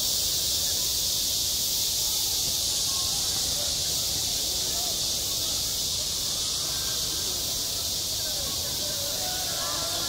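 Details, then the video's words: Summer cicada chorus over a school sports ground, a continuous shrill hiss-like drone that holds even throughout, with soft indistinct background sounds beneath. "한 여름 운동장에서 매미가 울고 있다 - 여름의 소리, 학교 종소리, 매미 울음소리"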